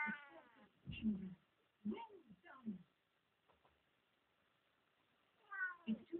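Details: A one-year-old Siamese cat makes cute little noises for the camera: a run of short, tonal meows, some rising and some falling, with a two-second pause before a final pair of calls.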